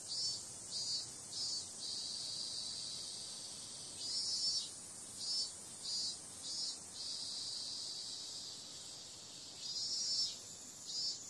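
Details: Night-time cicada chorus in summer, a continuous shrill buzzing hiss broken by louder rasping swells that come and go irregularly every second or two.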